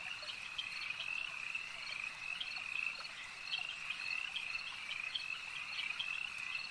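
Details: Lakeside frogs in full chorus: overlapping rapid high croaks blend into a constant buzzing wall of sound, individual clicks standing out several times a second, steady volume.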